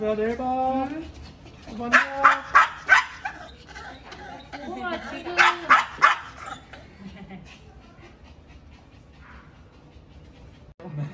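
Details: Maltese Dubu, during a hospital visit after cruciate ligament and spay surgery, begs to follow her owner home: rising sing-song whines break into bursts of three or four rapid shrill yips, repeated twice, then softer whimpering amid faint voices.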